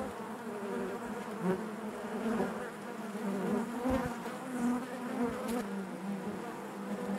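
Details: Steady hive drone of honey bees, a low buzzing hum with faint overtones, scattered brighter buzzes of individual bees flickering through at varying pitch.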